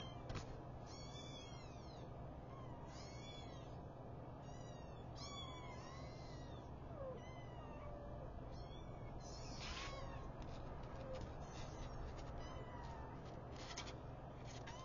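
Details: Newborn domestic kittens, a litter of five, mew as their mother wakes them: clusters of shrill, arched cries come in bursts, denser early and near ten seconds, above a constant low background hum.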